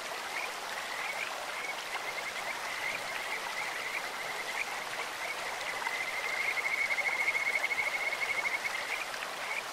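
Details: Kajika frogs calling in a clear stream, their voices as sweet as birds or insects: a thin high whistled trill held at one pitch, pulsing in runs and strongest past the sixth second, over a steady hiss of flowing water.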